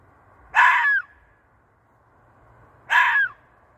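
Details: At night, a fox gives two harsh, hoarse screams about two and a half seconds apart, apparently calling for a mate.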